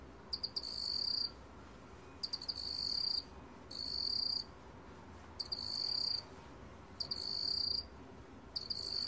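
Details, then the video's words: 2020 recording of a cricket (먹귀뚜라미) giving piercing high trills, each opened by quick stuttering chirps and lasting about a second, repeated six times with short gaps, over soft ambient hiss. "먹귀뚜라미, 여러번 듣기, 곤충소리"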